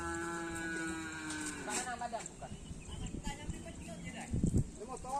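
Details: Madura cattle during karapan sapi bull race training at the Asemanis field, Pamekasan: a sustained tonal moo that slowly falls in pitch, then gives way to people talking, clatter and engine noise.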